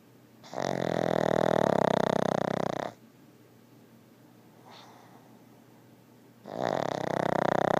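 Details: Pug giving very loud snores: a long rattling snore of about two and a half seconds, a quiet pause with light breathing, then the next snore starting just as strongly.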